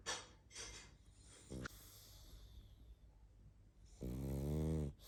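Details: Sleeping pug named Barney snoring and snuffling: breathy hissing exhales and a brief snort early on, then one loud, low, buzzing snore near the end, in a quiet room.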